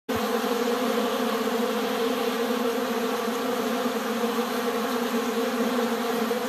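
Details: Many Western honey bees (Apis mellifera) swarm over honey, making a dense, steady, unbroken wingbeat hum of many bees buzzing together.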